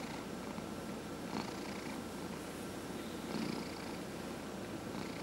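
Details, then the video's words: Elderly domestic cat, aged 14 and a half, purring as its head is massaged; a constant deep buzzing purr with two brief louder rustles of hand contact. "Dillard the Cat Purrs During Head Massage"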